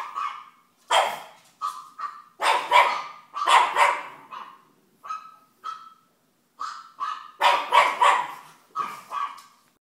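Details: Young female pug barking at her favorite TV show, rapid high yaps and whiny tonal barks in irregular clusters, some rising at the end, with short gaps of silence between bursts.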